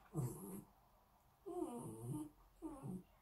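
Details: A female Bichon Frise, born March 2019, quiet and timid, makes a run of 'talking' sounds: three short, wavering, throaty yowl-grumbles bending up and down like speech, each half a second to a second, as walks are mentioned.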